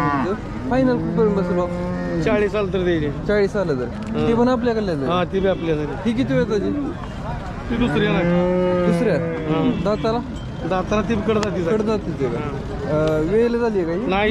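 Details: Jersey cattle at the Sangola cattle market, Solapur, Maharashtra, India, on 15 October 2023. Several arching, harmonic moos, each about a second long, rise and fall in a busy market. Human voices and background bustle run throughout.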